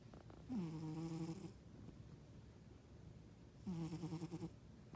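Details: Sleeping house cat snoring, loud enough to be confused with a man snoring: two long, low, rattling breaths, the second after a three-second quiet gap, with faint soft rustles in between.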